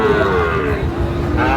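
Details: Sahiwal bull at the crowded Raniganj cattle market in Barishal, Bangladesh, on Thursday 28 November 2024: a single low, harmonic moo sliding gently downward through the short stretch, over steady market hubbub.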